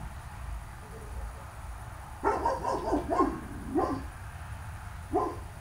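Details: Dogs barking: a rapid burst of four or five sharp, mid-pitched barks, then two single barks after short pauses, over a steady low background hum.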